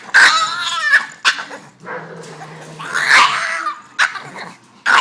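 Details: Boston Terrier worked up because he can't play with the other dogs, letting out loud squealing yips and whimpering whines in bursts about a second apart, with a low hum beneath.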